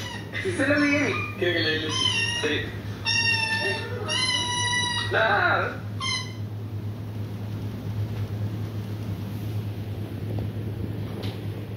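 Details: Domestic cat confused by videos of meowing cats; a rapid string of about six harmonic meows in the first six seconds, some bending downward, then quiet room hum with a woman's voice.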